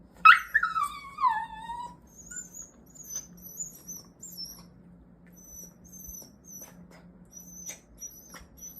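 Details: Mini Goldendoodle, one year old and still struggling to control its excitement over a favourite toy, lets out one long, loud whine that slides downward over about one and a half seconds, followed by faint, thin high squeaks.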